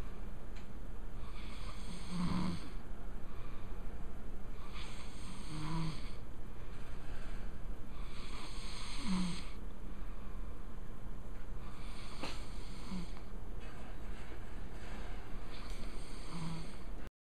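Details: Giant bear sleeping in its natural habitat, snoring in slow breathy rasps that swell roughly every three to four seconds, each a broad hissing surge over a constant deep low rumble.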